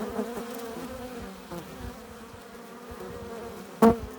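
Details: Honey bees buzzing at a hive entrance as they return with pollen and nectar; a steady layered drone with a strong low hum, one bee passing close and loud near the end.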